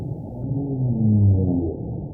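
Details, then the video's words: Humpback whale song played back underwater: low, drawn-out moaning tones gliding slightly downward, layered and overlapping, with a deep rumbling background; said to attract mates in the breeding season and to communicate with others of its species. "Escoltem la balena geperuda."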